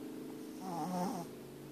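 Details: A domestic dog snoring loudly indoors with its eyes open: one brief rasping snore swells and fades over about half a second, with a low droning tone underneath. A quiet room hum fills the background.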